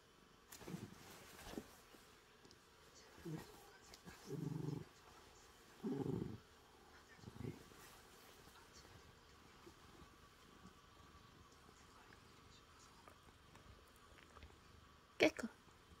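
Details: Sleepy calico cat still playing with its owner around a blanket, giving a purr in several short, low rumbling bursts spaced a second or two apart, then quiet, with one sharp rustling knock near the end.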